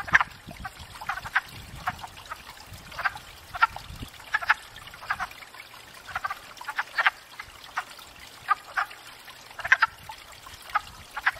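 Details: Spring breeding wood frogs at a pond, courting; short duck-like clucking croaks repeated in loose clusters roughly every half second to second, a few frogs overlapping, soft water trickle underneath.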